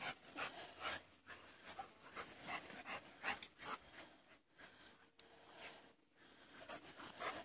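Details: Four Labrador Retriever puppies outdoors, with rapid breathy panting in rough bursts, about 160 per minute, and faint high chirps in the background.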